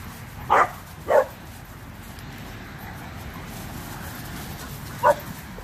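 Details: Renascence Bulldogge puppies playing with a Blue Bay Shepherd and German Shepherd on Thanksgiving Day 2018; two quick sharp barks near the start and a single bark at five seconds, with steady background hiss between.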